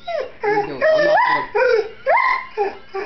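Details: Small dog and big dog squabbling over a chair out of jealousy: a run of high, harmonic whining yips and moans in short bursts, several sliding upward in pitch, with a faint low hum beneath.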